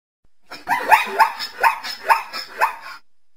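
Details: Zebra giving a run of about six barking, yelping calls, each rising sharply in pitch, spaced roughly every half second over a steady background hiss.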